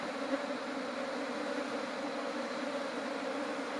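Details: Honey bees being smoked during honey harvesting; a dense, steady droning hum with even loudness and low humming bands, continuous for the whole stretch with no breaks.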